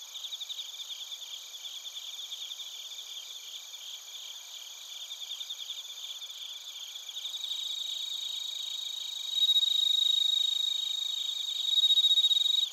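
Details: Chirping crickets and bell crickets from Narita, Chiba, Japan, recorded on a TASCAM Portacapture X8: a steady pulsing high chorus that swells later, as a clear ringing trill rises twice over the background.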